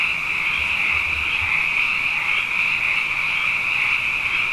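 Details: Dense nighttime frog chorus in Hawaii after two wet years, countless high croaks merging into a continuous shimmering buzz, with faint low thumps in the background.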